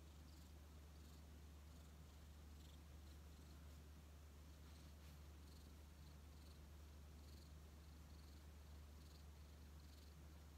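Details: Rescued odd-eyed white cat Xiaolin, taken in during autumn 2018 after arriving weak and ragged, settles affectionately on a lap; a steady low rumbling purr runs throughout with soft, regular pulsing texture and faint room hiss.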